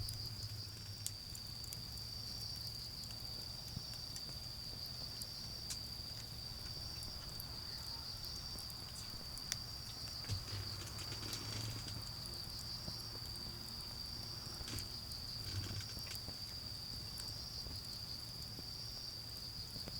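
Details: Autumn insects keep up a continuous high trill in a garden where a campfire burns down toward embers, accompanied by frequent fire crackles and a low rumbling hum beneath.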